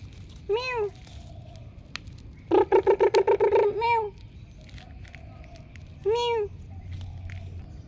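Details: Cat meowing three times against a low steady hum: a short rising-falling meow, then a rapid stuttering burst of about eight clipped pulses ending in a drawn-out meow, and after a pause a final short meow.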